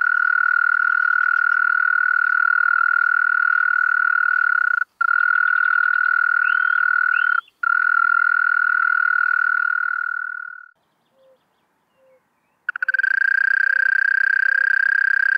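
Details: Male-style continuous churr of a European mole cricket, Pabing, Austria, 31 May 2021; long buzzing trill with two tiny dropouts, fading out near ten seconds, faint soft ticks in the pause, then the trill restarts strongly.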